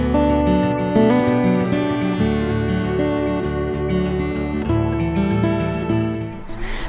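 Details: Strummed acoustic guitar music plays throughout, with no animal sounds.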